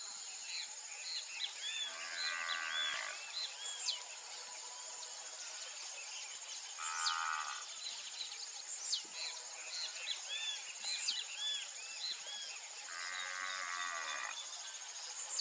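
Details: Half-blood Angus heifers, a Nelore × Aberdeen Angus cross, on an extensive beef ranch, giving three drawn-out, fairly high moos spaced about five seconds apart, over a steady shrill insect chorus and scattered bird chirps.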